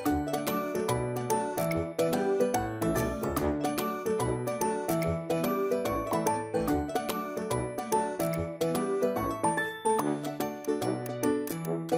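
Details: Bright, tinkling children's music with chiming bells and a steady bouncing beat plays throughout, and no animal calls come through.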